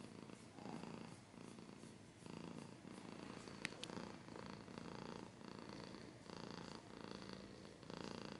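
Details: Indoor cat purr, a soft continuous low rumble pulsing with each breath, interrupted once by two brief sharp clicks.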